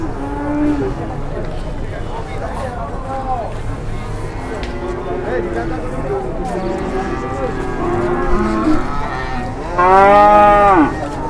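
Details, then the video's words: Angry cattle unloaded from a truck in Indonesia, charging people: several overlapping lowing calls over crowd chatter, ending in one loud, strained bellow near the close. "SAPI NGAMUK TURUN DARI TRUK"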